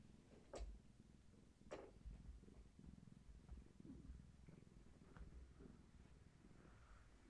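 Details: Purring from Gaia, a long-haired tabby pregnant with many kittens, petting herself against someone holding steady indoors; a continuous low buzzing rumble runs throughout, broken by a few sharp taps and clicks.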